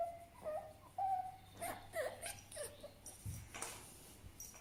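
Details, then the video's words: Fennec fox giving soft, whimpering whines around a steady mid pitch, several short bent notes in the first two seconds, then quieter broken squeaks and faint rustling. "FENNEC FOX SOUND EFFECT 사막여우 울음소리"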